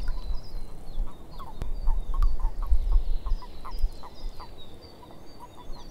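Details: Several frogs in a swamp giving short croaks roughly twice a second at an irregular pace, while birds twitter high above and low wind noise swells in the middle.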